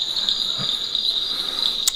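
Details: Insects call in a steady, high, continuous buzzing trill at night around 8 pm at Aritar, East Sikkim (4,600 ft), in the rainy season before rain, near paddy fields where frogs also call.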